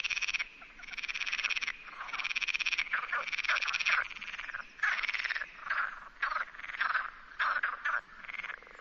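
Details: Rana común (Pelophylax perezi) chorus from the Sierra de Barbanza near Noia. Loud, rattling croak sequences are answered back and forth, and the stuttering bursts grow shorter and choppier toward the end.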